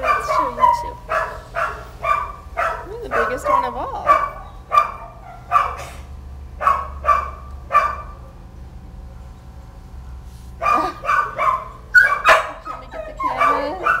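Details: Kelpie puppies calling, a busy run of short high yips and rising whiny squeals with harmonic bands, clustered in bursts with a quiet gap near the middle before more yipping resumes.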